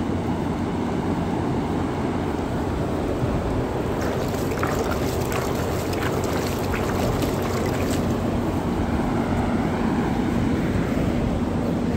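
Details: Heavy wind roar buffets the microphone on a sheep farm, a steady low rumble with no animal voices.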